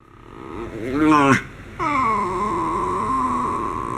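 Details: Homer, a pet miniature schnauzer, vocalizes indoors while being pampered: a short wavering harmonic whine, a brief pause, then a long, steady, high whine that slowly levels off.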